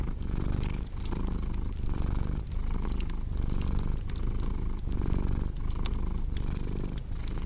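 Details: Domestic cat's soft, low purring throb in breath-length pulses under a fireplace's frequent crackling pops and faint hiss.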